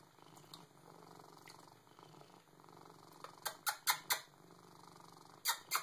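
A Siamese cat gives a continuous, throbbing purr, a soft rapid vibration that runs without pause. Toward the end, several loud, sharp clicks and knocks nearby cut across the purring.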